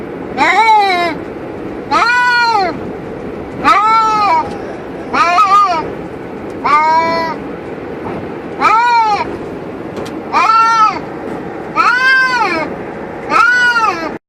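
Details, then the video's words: Two pet cats in a cage inside a car cruising on a highway, making loud drawn-out wailing meows, each rising then falling, repeated about every one and a half seconds over steady road and engine hum. "Cats Make Funny Noise While In Car"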